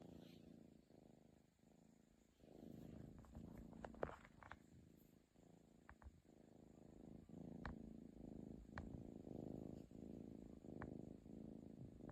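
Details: Pet cat snoring while sound asleep indoors: soft low rumbling breaths repeating in a steady, slightly uneven rhythm for the whole stretch, with a few faint clicks and light rustles.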